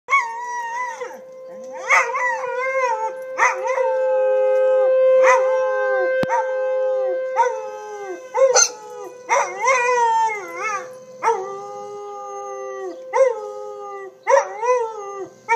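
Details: Two pet dogs, Pandora and Winston, howling in response to tornado sirens; long sustained tonal howls with wavering pitch and rich harmonics, broken by short yelping bursts, one steady siren-like tone running underneath.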